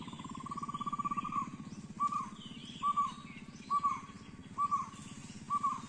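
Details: Indian giant squirrel (Shekaru) at Triveni Point on the Gureghar Natural Trail, Panchgani Mahabaleshwar, Western Ghats, Maharashtra, India. A sustained mid-pitched rattling trill, then short rattled bursts about once a second, over low hum and faint bird chirps.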